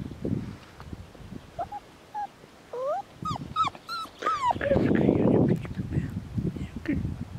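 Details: Farm-bred Border Collies playing on a sunny afternoon: a series of short, bent, high whines rises and falls in quick succession, followed by rustling, scuffling noise and faint voices.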